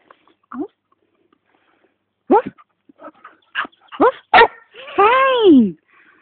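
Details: Border Collie finally learning to bark: after short hesitant yips comes a sharper bark, then a longer arched, drawn-out whining bark, with quiet pauses between attempts.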